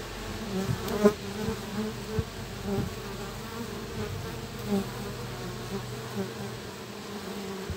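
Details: Guard honey bees exchanging checks and contacts at the hive entrance with a young forager among them, early afternoon on 3 July 2023, cloudy and breezy at 18°C; continuous low droning hum broken by brief sharper buzzes and knocks.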